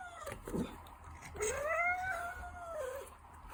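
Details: Ragdoll cat producing one drawn-out meow that starts low, rises and holds steady before sliding down, preceded by a brief low thump and set against faint room hiss.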